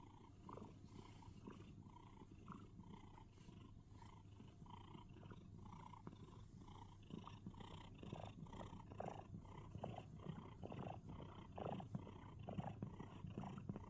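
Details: Pet cat snuggled in a box giving cricket-like sounds: continuous low purring overlaid with short soft chirps in irregular bursts, growing a little louder in the second half, no other noises.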